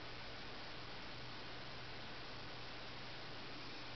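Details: Only steady broadband hiss with a low hum is heard, with no animal voice. The noise stays even throughout, like a fan or machine running.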